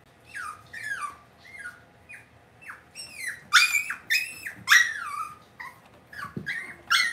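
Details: Cavalier King Charles Spaniel puppies raised indoors in a home puppy pen. High, thin whines and whimpers slide downward in pitch, overlapping in quick succession, some sharper squeaky cries mixed in, with a low steady hum underneath.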